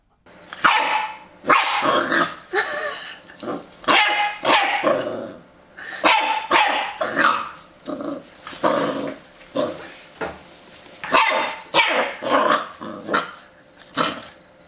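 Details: A dachshund, or sausage dog, barks loudly and repeatedly, with sharp barks mixed with growly yaps roughly every second, close to the microphone indoors.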